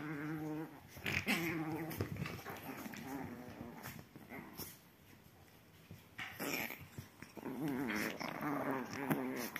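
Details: Growling Chihuahua puppies at play on a sofa, teasing each other: quavering, buzzy growls come in short spells, fade into a quieter gap of rustling, then return as a long wavering snarl.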